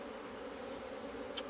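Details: Asian honey bees humming in a hive opened on 26 September 2023, with the food comb being dug out. A steady, low, droning buzz holds throughout, and a brief high click sounds near the end.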